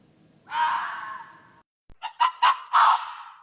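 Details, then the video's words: Raposa-do-campo, the hoary fox: one long hoarse scream, then a brief pause and three short sharp yelps leading into a final rasping cry, with nothing else audible. "o som da raposa do Campo"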